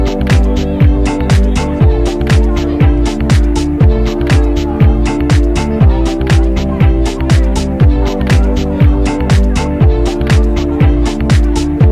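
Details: Upbeat funk-style music with a steady thumping beat about once per second, bright percussion hits and sustained bass notes; no animal sounds are heard.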